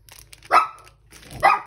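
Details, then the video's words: A German Shepherd next door barks while heard from inside a neighbouring home: two short, sharp barks about one second apart, each a quick harsh burst, with faint room noise between them. "actually the German Shepherd next door is barking so"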